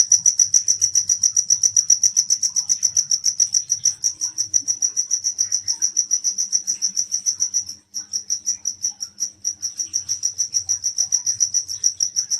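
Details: Insect found calling at night: a loud, steady high-pitched trill of rapid pulses in regular chirps about three to four per second, pausing briefly once, with faint low background noise.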